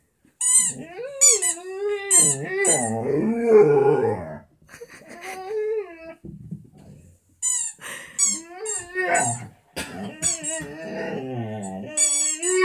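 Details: A Vizsla howls indoors at a squeaker toy, drawn-out wavering cries mixed with high squeaky whines.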